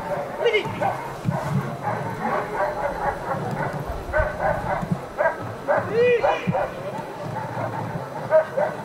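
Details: During protection work at the 2015 NIAK trial, the dog Ivar vom Falorie gives a run of short, regular barks, nearly continuous, mixed with loud talking and occasional rising whistle-like tones.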